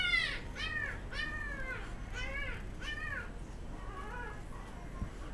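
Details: A Golden Retriever girl puppy, born 10 December and kept at a puppy shop. She gives five or six quick, high, downward-bending whimpers in a row, then a few fainter ones, over a low steady room hum.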